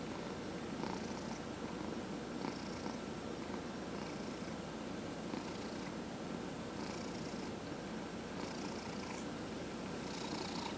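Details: Domestic cat purring while being massaged indoors, one of four cats including senior shelter-adopted cats; steady low rumbling purr throughout with soft rhythmic pulses, faint brushing rubs of the massage recurring every second or two.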